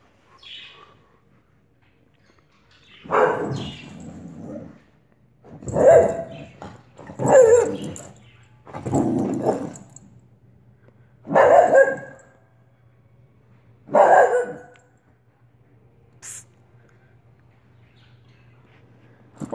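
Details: Olive, a Soft Coated Wheaten Terrier, barking indoors: six broad, noisy barks spaced a second or two apart after a quiet start, with a faint steady hum beneath and a short high click near the end.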